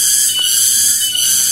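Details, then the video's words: More than one cicada (tonggeret) singing around a village in Rajadesa, Ciamis, West Java, Indonesia, on an afternoon walk: a loud, continuous high-pitched shrill drone with slight swells, faint voice underneath. "diiringi suara tonggeret yang bikin rindu"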